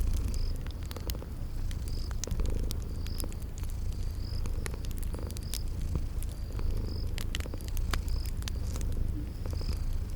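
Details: Cozy spring garden scene with sleeping cats purring beside a crackling fireplace; a continuous deep purr rolls in gentle swells while dry fire pops and brief high insect-like chirps repeat roughly every second.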